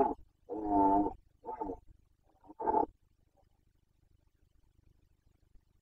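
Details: Boncănit, the rutting roar of a Carpathian red deer stag, Bucovina, breeding season 2021: a run of four bellows, one long and full, then shorter grunting roars fading out, followed by quiet.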